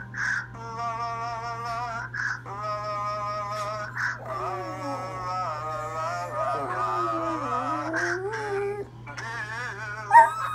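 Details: A Dachshund howls in long, wavering, tuneful notes, sliding up and down as it sings "Lovin You" by Minnie Riperton in a phone duet with its owner.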